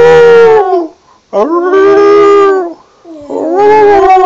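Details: Border terrier singing: three long, mournful howled notes, each held about a second with rich harmonics and sliding down at the end, separated by short silent breaths.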